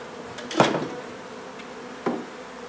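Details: Honey bees hum steadily as their hive is removed from an old home being renovated in Donna, Texas. Two sharp knocks strike over the drone, about a second and a half apart.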